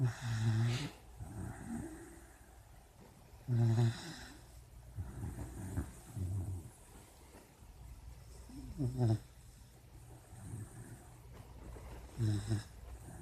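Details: Puppy asleep and dreaming, snoring in low, rough rattling breaths about every three to four seconds, with small muffled whines and snuffles between the snores.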